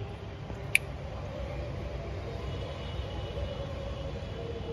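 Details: Low rumbling ambient noise as in a small room, with a single sharp click partway through; no animal calls.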